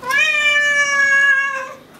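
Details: A domestic cat gives a long, drawn-out meow, steady in pitch and fading at the end; a long drawn-out meow means the cat wants something specific like dinner.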